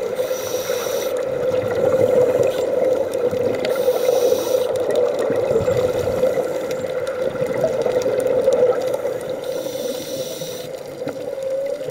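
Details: Steady underwater hum and rushing water noise, with no animal calls standing out.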